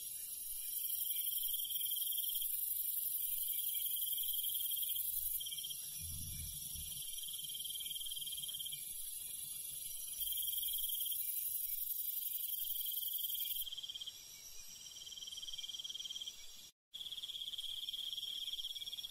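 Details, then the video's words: Countryside night insects, crickets among them, keep up a continuous high-pitched buzzing chorus with intermittent pulsed trills; a low muffled rumble appears briefly early on and the sound cuts out for a moment near the end. "시골 밤벌레 소리, 귀뚜라미 소리"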